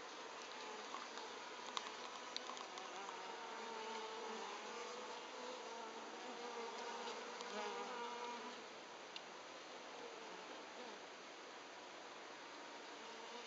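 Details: Japanese honey bees humming in a thick, steady drone, with wavering tones and a slight drop in loudness partway through.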